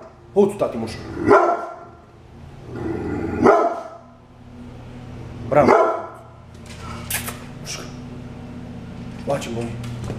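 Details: A brindle pit bull guard dog at home gives about five rough, widely spaced barks, with gaps of one to two seconds and a steady low hum underneath.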